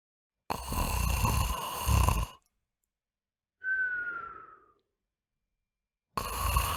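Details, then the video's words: Pet dog asleep and snoring, a nightly habit said to make the house tremble: a harsh, rattling inhaled snore, a pause, then a short high whistle falling in pitch, and another rough snore beginning. "Cachorro roncando faz a casa tremer"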